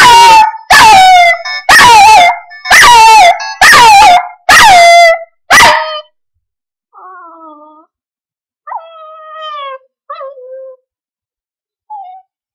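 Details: A male Chihuahua puppy gives thin, wavering howls, singing along to a loud, rhythmic ringtone being previewed on a new phone; he seemed to get mad afterwards.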